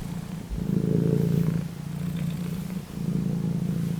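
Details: Purring domestic cat, a deep even rumble rising at first, easing off, then swelling again, with a faint background hum.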